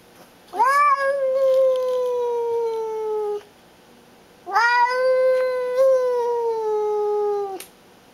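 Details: Baby, a female house cat, guarding and asserting she is boss with two loud prolonged yowls, each rising sharply then holding and gently sinking over about three seconds, with a brief pause between them in a quiet room.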